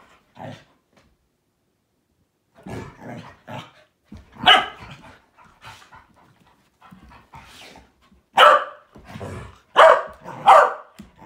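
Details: Three dogs, a Malinois, an Akita and a Corgi, in their daily morning play session: scattered short barks and rough growly yaps in bursts, louder clustered barks near the end, with quiet gaps between.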